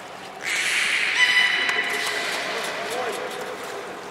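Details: Beluga named Nana during a training session at Port of Nagoya Public Aquarium, 13 April 2019: a sustained buzzy whistle with stacked harmonics begins after half a second and holds steady, fading gradually over noisy background hiss.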